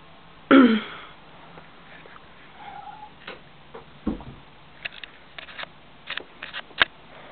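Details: A Siamese cat in a bathroom sink, singing, gives one brief, strong meow that drops quickly in pitch, then faint clicks, taps and rustles in a small, echoing room.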